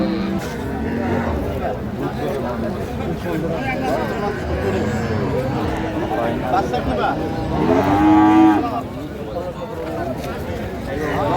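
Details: Improved-breed dairy cows and calves at the Ambari Haat market, Dinajpur, 9/3/25: a single lowing call rises out of dense market chatter near the end, with people talking and music behind.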